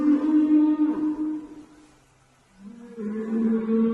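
A whale calls underwater with deep, resonant moans rich in overtones. The first note holds steady and fades away, then after a short silence a second moan swells in slightly lower.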